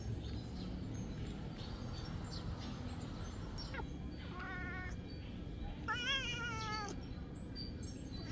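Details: Cat meowing as a big cat bites a small cat: two drawn-out, nasal meows about a second apart, the second louder and wavering, over a constant low rumbling background hiss.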